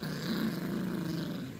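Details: Yorkshire Terrier puppy growling while playing with a dog toy and a man pulling at it: a steady, low, rumbling growl with fast rough pulses, lasting the whole moment without a break.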